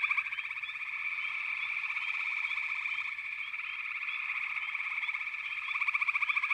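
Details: A continuous frog chorus of overlapping buzzing and trilling voices. Fast pulse trains rise in loudness toward the end, with quick rising chirps sprinkled throughout.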